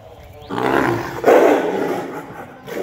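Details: An angry Royal Bengal tiger at Mirpur Zoo, Bangladesh, lets out a rough, gravelly roar lasting about two seconds. It swells, dips, then surges in a short second burst before fading, with faint human voices in the background.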